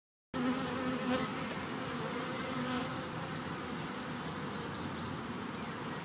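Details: A large swarm of honeybees, collected on World Bee Day 2019, producing a dense, steady droning hum with a low humming tone throughout after a brief silent start.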